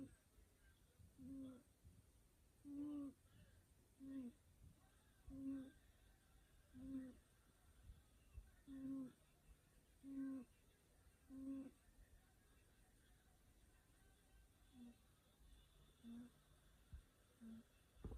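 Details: Sleepy cat snoring: short low nasal tones, each with a faint rising squeak, repeated about every one and a half seconds, about twelve in all, some softer toward the end, in a quiet room.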